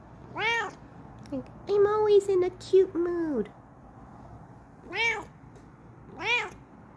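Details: Female Bengal cat yelling excitedly in her new chair indoors: three loud, rising-then-falling harmonic meows at the start and near the end, with a woman talking playfully between them in a small room.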